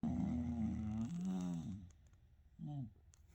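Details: English Bulldog brothers asleep together indoors, snoring: a harmonic, nasal rasping drone for about two seconds, then a short separate snort near the end, with quiet room background.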